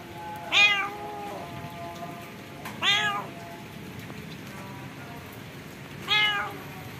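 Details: Three sharp, bright meows spaced a few seconds apart from a wild stray cat badly infected with scabies, found during feeding; steady hiss and faint tonal hum underneath.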